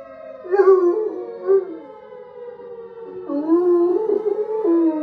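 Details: Pluto, a bloodhound coonhound, sings along with a tornado siren played from a phone: wavering, drawn-out howled notes that rise and fall, with louder swells near the start and again toward the end, over the steady siren tone.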